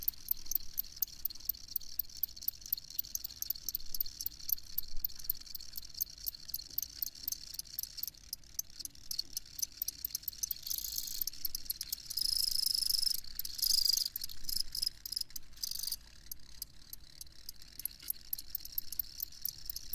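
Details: Crickets chirping together in a dense chorus of rapid, high, pulsing chirps, roughly several per second, with a louder steady shrill buzz for a few seconds midway and a faint low rumble underneath.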